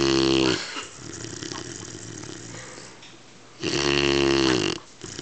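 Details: A 12-week-old Weimaraner puppy snores while sleeping, with two loud, rasping, low-pitched breaths about three seconds apart.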